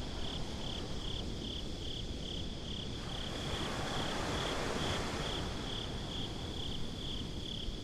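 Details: High, rapidly pulsed cricket chirps repeat without pause on a beach at night, set against low rolling surf that swells briefly in the middle.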